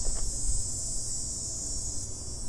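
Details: A cicada making noise outdoors in the background: a continuous high, hissing buzz in a broad band holds steady throughout, over low rumble and a brief faint voice sound at the start.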